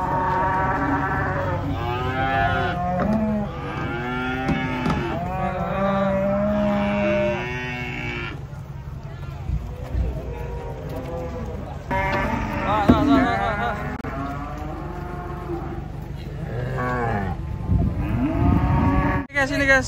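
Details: Giant cattle coming down from a truck in the morning: long drawn-out lowing moos among sharp shouting human voices, over a steady low engine rumble.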